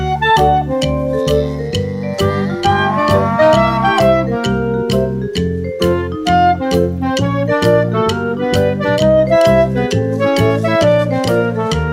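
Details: Bouncy keyboard and organ music plays throughout with a regular rhythm and no other sounds.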